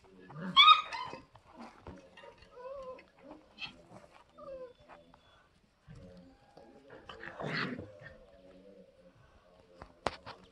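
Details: Five-week-old German Shepherd puppies from Elsa's litter give a sharp high yelp, then short falling whines and soft whimpers spaced through the clip, with brief quiet gaps and a final click-like sound.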